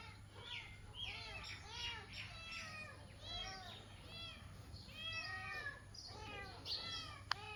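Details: A cat up in a tree gives rapid, high, arching meows one after another, crying for its mother.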